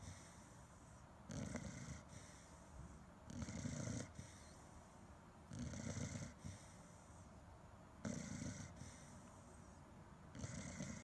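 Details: Sleeping Chow Chow snores five times at an even pace of roughly two seconds, each a deep, raspy breath followed by a short quiet pause.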